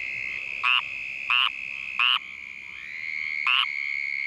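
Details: Calling squirrel treefrog under attack by frog-biting Uranotaenia lowii mosquitoes, Vero Beach, Florida, filmed in infrared at night. Four harsh, buzzy quacking notes, three evenly spaced then a pause before the last, over a constant high whine.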